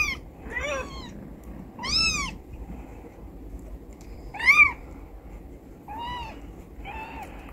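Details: Carpark stray Charlie and her four newborn kittens, three tuxedo and one black, given temporary refuge in an office; six separate meows, mostly short and arching, one louder and sharper near the middle, over quiet room noise.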